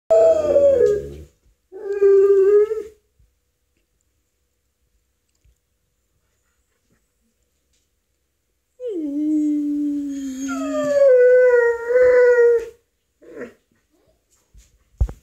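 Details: An Alaskan Malamute, called an American wolfdog, howls together with a husky friend in long, wavering tones, with a brief pause between drawn-out notes.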